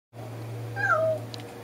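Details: Domestic cat spying another cat, giving a single short meow that drops in pitch, over a steady low electrical hum indoors.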